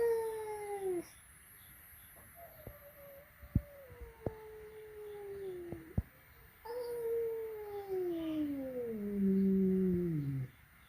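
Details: Flat-nosed and peak-nosed cats meeting for the first time at home: a falling yowl, then a quieter wavering moan among sharp clicks and taps, followed by a loud long wail dropping into a low growl.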